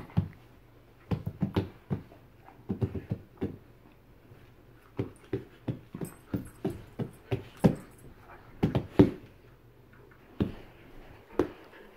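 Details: Short, low grunting huffs from bull terriers Joy and Miley arrive in irregular clusters separated by quiet gaps, with a brief thin squeak among them.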